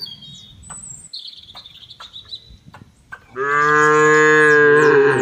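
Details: Cattle on a farm in an oil palm plantation in Central Lampung, Indonesia, one long steady harmonic moo starting after three seconds and holding to the end, preceded by high chirping birds and light rustling.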